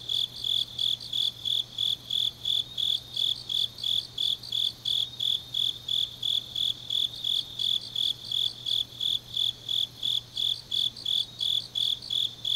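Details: Grass insects singing on a deep autumn night in Changnyeong, Gyeongnam, South Korea: a dominant high-pitched cricket-like chirp pulsing steadily about three times a second, with fainter overlapping insect trills above it and a low constant hum.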